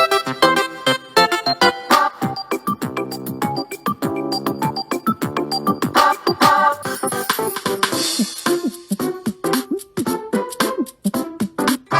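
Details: Bright, bouncy keyboard and synthesizer music plays throughout, with no animal sound.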